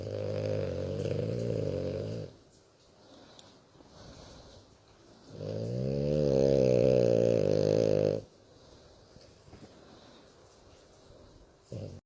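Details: A female French Bulldog sleeps, snoring and grunting with happiness while being stroked. She makes long, rattling, low breaths with quiet pauses between them.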